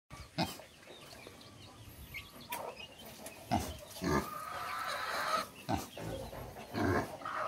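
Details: Two farm pigs, one grey and one black with big tusks, grunt while scratching their backsides; short, low, rough grunts come at irregular intervals over faint background noise.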